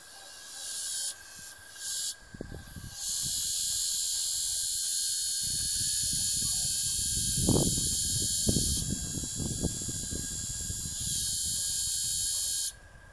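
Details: Mating cicada, a loud steady high-pitched hiss held for about ten seconds after a few short stuttering bursts, then cutting off abruptly, with faint rustling and handling noise underneath.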